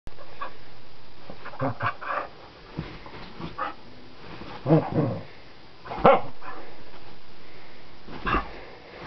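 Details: ['A wild dog on a flower bed while a person plays with it: scattered short, rough barks and huffs, with two louder sharp barks near the middle, between quieter breathy noises.']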